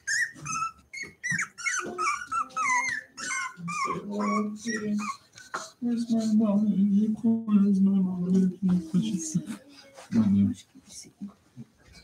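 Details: Playing indoors, home-raised Cavalier King Charles Spaniel puppies give quick high yips that settle into a sustained low rumbling growl, broken by scuffling noises and occasional voices.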